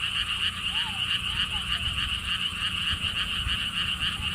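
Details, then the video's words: Frogs at the Siheung lotus theme park, Korea, by a stone wall path. A steady pulsed croaking chorus continues, while several soft rising-falling whistled notes appear at intervals over low wind rumble. "돌담길, 바람, 개구리 소리를 품은 연꽃 테마파크"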